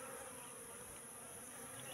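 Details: Wild Asian honey bees (Apis cerana) in a trap box that has stood for three months: a steady, low buzzing drone with even loudness throughout and no breaks.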